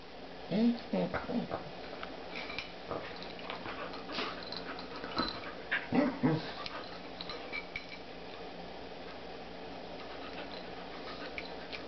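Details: Spruce, a dog, plays happily with her new puppy; short, sharp yips and barks come in scattered bursts, loudest near the start and again around six seconds, with soft scuffling and faint indoor background noise between them.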